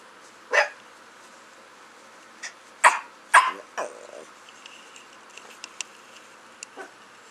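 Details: A Chiweenie, a shy, cautious rescued male about four years old weighing 8 lbs, gives about six sharp, high-pitched yaps, bunched in the middle and spaced irregularly, with quiet pauses and faint clicks between.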